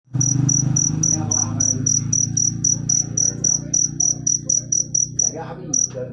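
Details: Cricket chirping in a steady, high, ringing pulse about three to four times a second, with a low droning hum underneath for most of the stretch and faint murmurs in the background.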